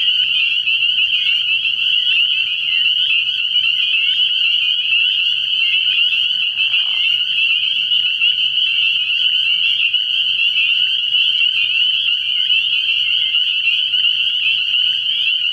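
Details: Early-year night chorus of spring peepers at a frogpond: overlapping high, piercing peeps form a constant bright drone, with a short lower buzzy note midway and a faint steady hum beneath.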